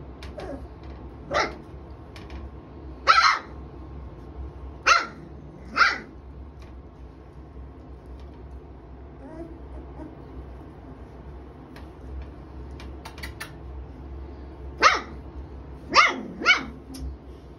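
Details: Three-week-old puppies from Bindi's and Roni's litters at Golden Angels kennels: sharp, high barks and yips, singly or in quick pairs, separated by pauses of a few seconds, over a steady low hum.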